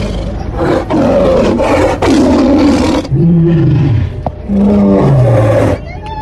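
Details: Bengal tiger roaring repeatedly, with three rough, broad blasts in quick succession followed by two lower, drawn-out moaning growls that dip in pitch; a human voice is faintly heard between them.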